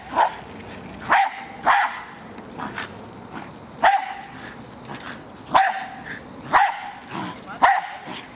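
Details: Jack Russell Terrier named Hali barks while attacking a remote-controlled toy car; sharp, high barks come singly or in close pairs roughly every second, with faint motor whine between them.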